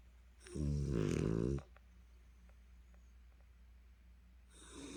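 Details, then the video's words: French Bulldog named Dali, worn out after a cherry-blossom walk at the Daesin Park reservoir in Seo-gu, Busan, collapsed asleep and snoring heavily: one loud, rasping, rattling snore lasting about a second, then soft quiet breathing, with another snore starting at the end. "프렌치불독 달이, 달이의 코골이"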